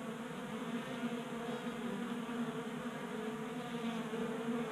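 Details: Honey bees feeding at a 3D-printed tabletop feeder in a garage in Colorado during unseasonably warm January weather; a steady, continuous droning hum of many wings with bands near the low-mid range, unbroken throughout.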